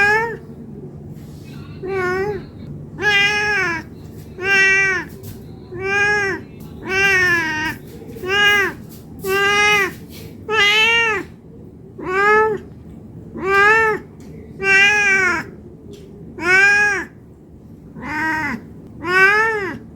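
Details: Cat meowing non-stop because it is hungry and wants food: around fourteen bright, arched meows at an even pace, one every one to one and a half seconds, over a faint steady hum.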